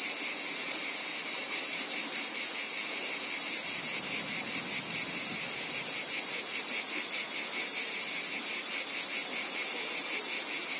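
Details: Cicadas in full chorus, a piercing high buzz that rises in the first half second and keeps a fast, regular pulsing throb throughout.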